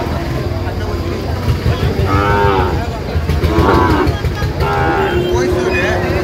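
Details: Sahiwal bull at a livestock market where a Dhaka farmer is buying, 4 August 2025: three drawn-out, harmonic, lowing moos about a second and a half apart over steady crowd chatter and engine rumble.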